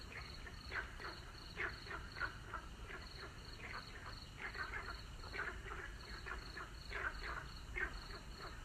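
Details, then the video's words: Evening frog chorus at sunset, with rasping croaks that rise and fall in clustered groups about every second, several callers overlapping. A steady beating high buzz, like an insect, persists in the background. "The sun is setting, listening to the sound of frogs.夕陽西下，聽取蛙聲一片。"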